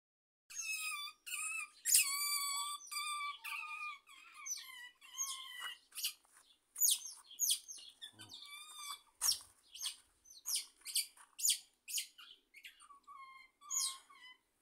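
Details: Otter singing at Riesa: high squeaky whistles and chirps with rich harmonic stacks, some long wavering wails early, then shorter bursts repeated roughly every half second to second.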